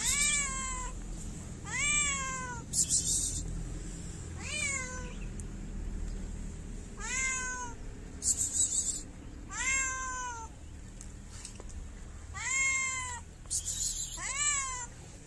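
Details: Shy stray cat in a Moroccan city meowing for food while wary of people: a steady series of clear, bending meows, each rising then falling, about every one to two seconds, with short bursts of crackling noise between some calls.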